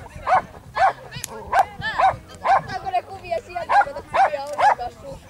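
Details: Lapponian Herder barking during a youth agility championship event dated 2 August 2008: a rapid series of about nine short, high, ringing barks, roughly two per second, over background chatter and crowd noise.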